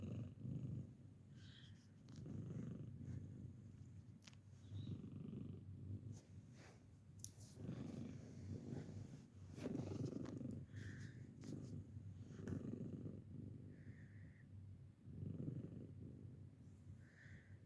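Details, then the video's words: Bella, a 15-year-old senior female domestic cat possibly losing her hearing, purring steadily at home during an informal hearing test; low rumbling purr in rhythmic pulses throughout, with occasional brief higher tones and light clicks in the background. "Hearing test (and purring)"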